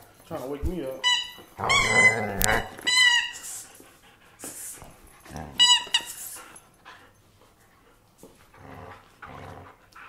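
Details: German Shepherd indoors in a small room giving high, harmonic whining yelps in short bursts, alternating with low growly grumbles, while a person talks and gives commands over it.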